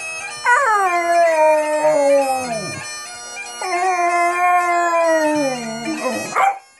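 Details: Dog howling at bagpipes, giving two long drawn-out howls that start high and slide slowly downward, each lasting about two seconds, over continuous bagpipe music with its steady drones.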